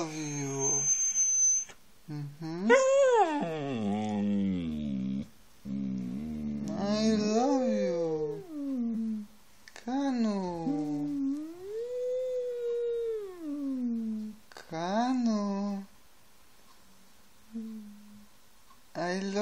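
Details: Siberian Husky giving a run of 'talking' vocalisations: arched, wavering woo-woo calls that rise and fall, some brief and some drawn out, separated by short pauses, with a person speaking softly nearby.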